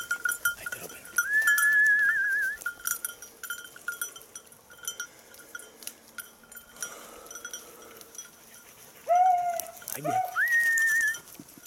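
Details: Beagle out hunting on 19 October 2022, the hare lost: short, sharp harmonic bays near the end, preceded by a long level whistled tone, with a constant high steady tone and light clinks throughout.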